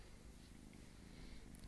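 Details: Domestic cat described as small and sweet, purring close by: dense low rumbling pulses held without a break, quiet and steady, with only faint high hiss in the background.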